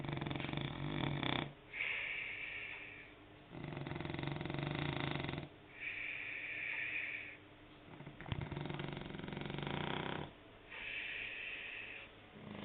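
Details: A French Bulldog snores loudly, rough rattling breaths alternating with a high nasal whistle.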